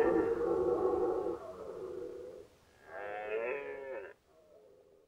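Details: Rutting red deer in Nationalpark Unteres Odertal, 2019; a loud, rich roar lasting over a second fades into a lower groan, then a second strained, wavering bellow follows and tails off into a faint moan.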